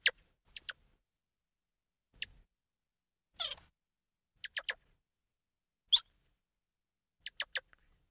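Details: Squirrel monkey giving sharp, high-pitched chirps and squeaks in short separate bursts, with one raspier twittering note midway; quiet pauses between calls and no other sounds.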